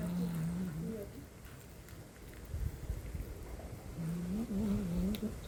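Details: Huge stray tomcat appearing at a feeding of resident cats, territorial tension before a fight; low, wavering drawn-out moan in two bouts, one at the start and one near the end, over faint background noise.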